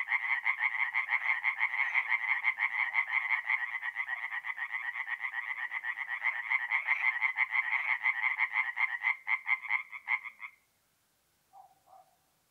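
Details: Night chorus of tree frogs at a forest pond in north-east Italy, mid-April: fast repeated rasping notes from several frogs run for ten seconds, then stop abruptly, followed by a brief faint low call near the end.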